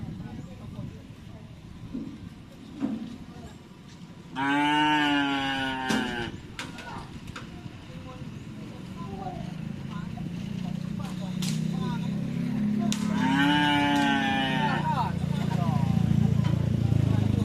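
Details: Racing cattle being trained for karapan sapi at the Asemanis field, Pamekasan. Two long, rich moos sound about nine seconds apart, set against people talking and a low rumbling background that grows louder toward the end.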